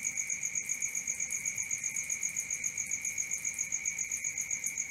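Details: Night crickets keep up an unbroken shrill trill, rapid pulses roughly four per second, with a thin higher whine riding over it and nothing else audible.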